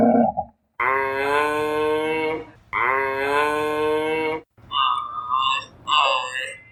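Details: Giraffe giving two long harmonic moaning calls of about two seconds each, steady and slightly falling, followed by shorter higher wavering calls; giraffes are described as quiet animals with low, seldom-heard sounds.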